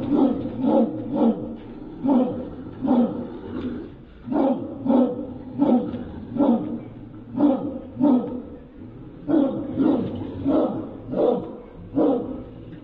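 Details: Fighting pit bull and Dogo Argentino produce throaty, rhythmic growls and snarls, short harsh pulses repeating about every half second to second, each with a deep rumbling core and gritty overtones.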